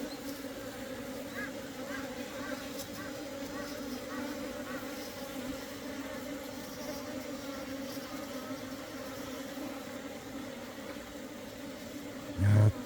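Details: Asian honey bees flying into their hive at an apiary on 17 September 2023, workers of differing sizes; a steady low droning hum holds one constant tone with a fainter overtone above, over light hiss, ending in a brief thump.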